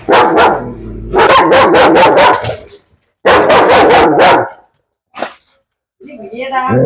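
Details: German Shepherd in Koyilandy showing aggression, guarding a girl against being touched: two long volleys of fast, harsh, repeated barks separated by a short silence, one isolated bark after, and human speech at the end.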